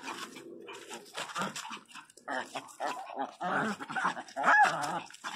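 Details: Teco the Pinscher crying loudly: strained, whiny yelps and short barks rising and falling in pitch, in a small room, with a person's voice intermittently between the calls.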